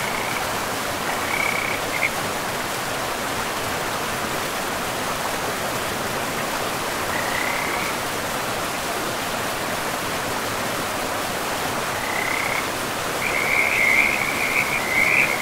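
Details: Frogs along a forest river call sparsely, with short high trills near the start and middle, then a louder, brighter run of rapid pulsed notes toward the end, all set against the steady hiss of running water.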